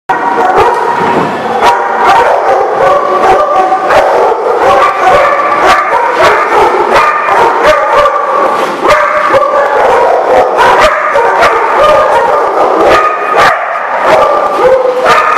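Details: Many dogs together at a kennel or dog lot, recorded in mid-June 2018: dense, continuous overlapping barks and yips from a crowd of animals, sharp repeated bursts layered with no quiet gaps throughout.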